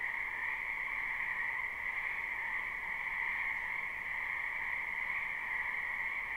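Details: Steady wall of croaking from a crowd of frogs in a spring wetland, captured live and unlooped; the shrill, even drone never pauses and nothing else stands out.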